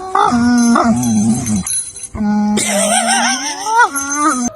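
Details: A dog, prompted by a person singing "say a woo", gives drawn-out, sliding 'woo' howls with a whiny, talking quality over light background music. Its owner asks if it is complaining.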